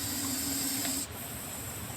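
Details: Hissing from a rescued Russell's viper in India: a short, harsh breathy hiss of about one second, ending suddenly, followed by quiet room noise.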